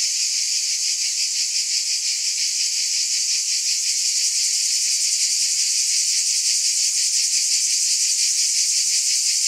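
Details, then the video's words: Cicadas in a long continuous chorus, a dense steady high buzz with a faint rapid pulsing throughout, no pauses, no other animals or voices. "Scintillating Cicadas"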